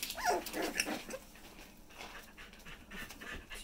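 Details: Corgi puppies, four weeks old, giving a short high whining whimper with a bent tonal contour in the first second, then scuffling and faint rustling noises.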